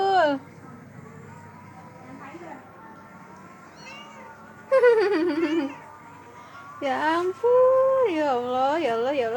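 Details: A group of village cats and kittens gathered together at home. Loud, wavering, nasal meows rise and fall in two bursts midway and toward the end, while a woman talks in Indonesian in the background.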